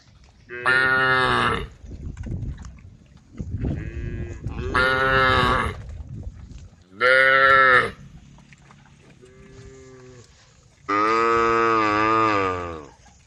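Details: Group of tame female cows on a road by rice fields calling to the herd; several loud, harmonic-rich moos about a second long come in turn, with softer, lower lowing calls between them and a final longer bellow.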